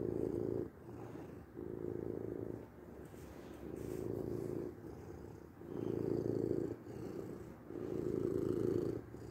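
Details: Soft, deep purring of a domestic cat, rhythmic rumble rising and falling with each breath, about a second per phase, fainter stretches in the middle before stronger bursts return.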